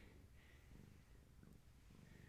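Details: Purring from a kitten of a long-haired tabby's litter during an evening of play and leg massages, a soft continuous low rumble with faint breathy texture throughout.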